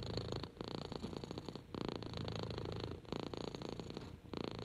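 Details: Six-month-old orange kitten Henry, rescued with six siblings, purrs contentedly under petting; low rumbling purr in phrases about one second long, separated by short quiet gaps at each breath.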